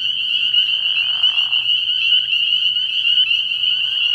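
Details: Chorus of many spring peepers calling at night from a frog pond early in the year: a dense, unbroken wall of shrill, high peeps overlapping constantly, with a brief lower rasping burst just past one second and a faint low hum underneath.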